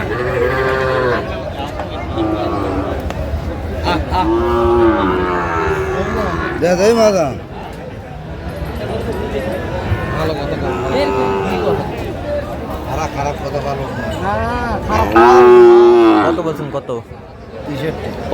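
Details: Sahiwal bull calves at a cattle market in Kurigram, Bangladesh, on 16 March: repeated loud, hoarse moos rising and falling, with a strong final bellow, amid crowd chatter and bargaining voices.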